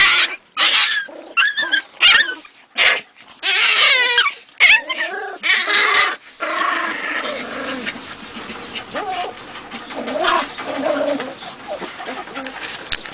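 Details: Jagdterrier gives quick bursts of high, wavering yelps and whines early on, then a sustained rough, noisy growling stretch with scattered squeaky notes.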